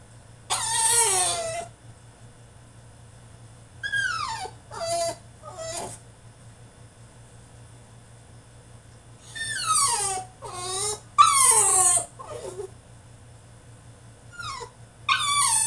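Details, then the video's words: French Bulldog in his cage throwing a tantrum: repeated bursts of shrill, downward-sliding whines and sharp yelps, some in quick clusters, broken by several seconds of quiet between outbursts. "FRENCH BULLDOG THROWS TANTRUM IN HIS CAGE!!"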